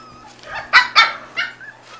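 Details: Five-week-old Corgi puppies give two loud sharp yips close together, then a softer third yip and a faint whine trailing off.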